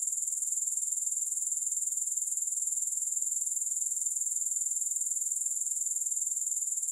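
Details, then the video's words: Continuous high, thin grasshopper trill, evenly pulsed at roughly four beats a second, holding constant loudness throughout with no pauses, music or other background noise. "Grass Hopper Sounds"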